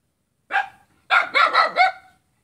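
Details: Dog in Selat, Kapuas, Central Kalimantan, Indonesia, barking at its own neighbour on Jalan Kolonel Sugiono, 5 August 2017: one short bark, a pause, then a quick run of four harsh barks, otherwise quiet.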